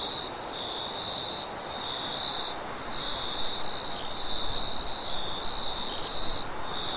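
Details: Crickets sing amid wind in a relaxing sleep recording, their high, piercing trill breaking into bright bursts a little under once per second, layered over a soft roar of blowing wind.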